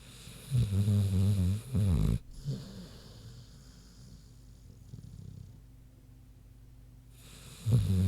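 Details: A sleeping pig named Queenie snores. A long, deep, droning snore with a buzzing, tonal rattle is followed by softer snuffling breaths. A hush follows, then the next snore begins at the end.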